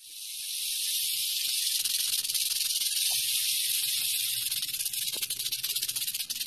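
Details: Wild western diamondback rattlesnake in Arizona, recorded 3/11/17, rattling: a steady, dry, high-pitched buzzing hiss that builds over the first second and then holds continuously with faint rapid pulsing, no other clear sounds.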